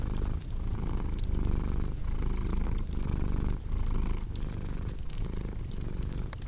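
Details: Rich, rumbling purr from a cat, cycling in and out with each breath roughly every 0.7 seconds, set against the crisp crackle of burning logs in a fireplace.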